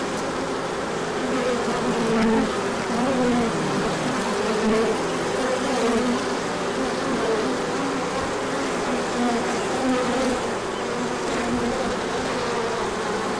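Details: Many bees in a large orientation flight on 24 March 2024, emerging as the sun came out after colder days. A dense, steady hum with overlapping drones wavering in pitch throughout.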